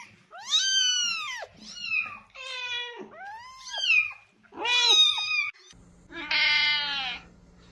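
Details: Cat meows for attracting cats: a quick run of six varied meows, some short and chirping, some drawn out and falling, ending in a higher, buzzier wail over a steady low hum.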